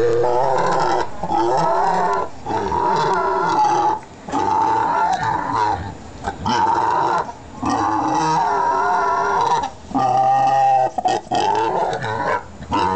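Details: A hungry pet pig calling loudly in long, rough, squealing grunts with strong harmonics, in bursts of one to two seconds separated by brief pauses, continuing throughout.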